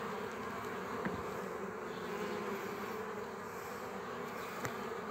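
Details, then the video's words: Continuous hum of honey bees at a frame holding bees and a queen, used to start a new colony; the even droning buzz carries on with a couple of faint clicks. "Formare roi din o Rama de albina si matca"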